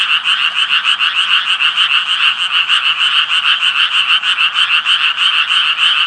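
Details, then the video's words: Japanese tree frog croaking: a dense, continuous, rapid rattling chorus of harsh nasal pulses, about three per second, bright and raspy with steady, overlapping calls and no other clear sounds. "청개구리 울음소리"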